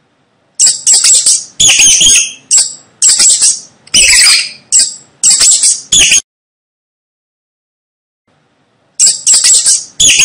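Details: At night on a roof, a rat gives sharp, high-pitched squeaks in quick clusters, each burst a few chirpy notes under a second, then a silent pause of nearly three seconds before the shrill squeaking resumes.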